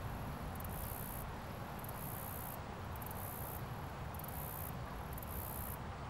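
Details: Chirping cricket on a leaf outdoors, filmed at close range: repeated high, thin trilled bursts of about a second each, roughly six in quick succession, over a deep steady rumble.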